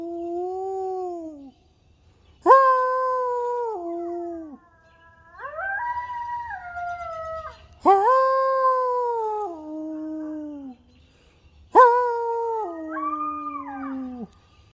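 A coyote gives long, wavering howls that slide and step in pitch, repeated in several drawn-out bouts.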